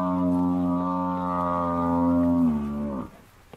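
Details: Large buffalo bull, attacked by four male lions, bellows long and loud: a deep, even, harmonic moan held nearly three seconds before it bends downward and stops abruptly.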